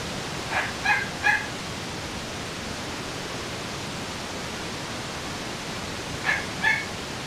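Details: A 29-day-old female white-and-gold Shih Tzu puppy in Kyoto, recorded on 13 September, gives a few thin, high whimpering yips against a steady hiss.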